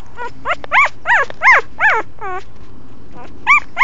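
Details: Puppy, another one from the mother of the household's female dog, giving a run of high arched whines and yelps, roughly two per second with short pauses, over a low steady hum.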